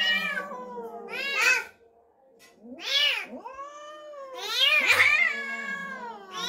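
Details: Indoor house cat reacting to a strange kitten newly brought home, giving a series of loud, strained yowls and harsh rising-falling wails separated by brief pauses.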